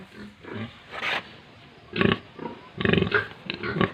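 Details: Pigs and piglets on a pig farm in Tripura: scattered grunting bursts, a few short oinks spaced unevenly over four seconds, with quieter gaps between.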